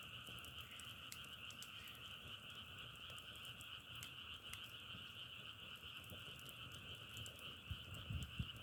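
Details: Frogs droning together, sound said to resemble crackling firewood: an unbroken two-toned trilling buzz with frequent brisk clicks, and a few low thumps near the end.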